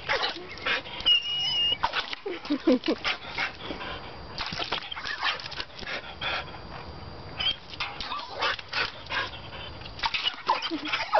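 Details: Playing with water splash, Jasmine, a one-year-old border collie mix, lets out brief whimpering sounds between bursts of loud, hissing water spray and splashes.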